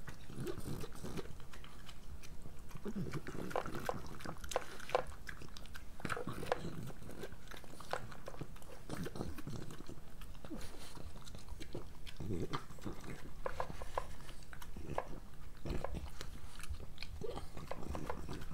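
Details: Breakfast for Moolah, a pregnant French Bulldog, indoors: steady crunching bites and clicky chewing, with nasal snuffles between mouthfuls across the whole stretch.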